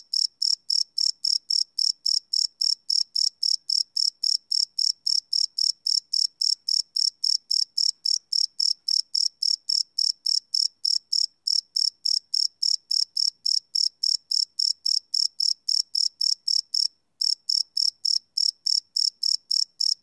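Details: A cricket sings at night, recorded live without loops on a Sony PCM D100: twenty seconds of shrill, evenly repeated chirps at about three or four per second, broken once by a brief pause near the end.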